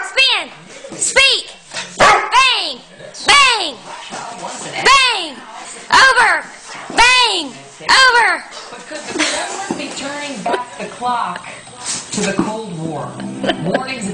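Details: Doberman dog in a funny home compilation giving a series of arched, rising-then-falling yelping howls, one roughly every second, strongest in the first half, with music and some human voices underneath.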